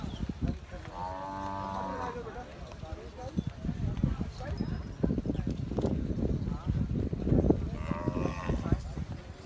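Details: Cholistani bull around Bakra Eid lowing twice: a drawn-out harmonic moo early on and a shorter one near the end, over a busy background of crowd chatter, shuffling and clatter.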